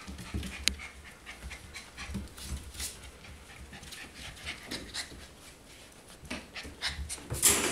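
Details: Four-week-old golden retriever puppies panting: soft, breathy bursts of broadband noise repeated through the recording, with a few sharper bumps and brief scuffling sounds.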